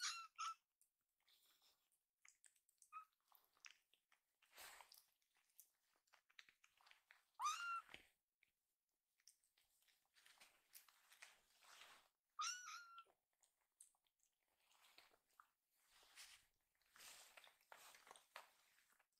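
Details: Rescued kittens Hoshi and Iru, under twice-daily oral medicine for a stomach problem, resist being dosed after a meal indoors. Short, high, strained meows come now and then, some rising then falling, among frequent clicking, smacking and handling noises.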